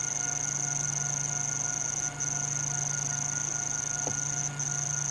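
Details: At sunset at Djuma and Arathusa in Africa, cicadas give an unbroken, very high, steady buzz over a low constant hum, with a brief falling tone near the end.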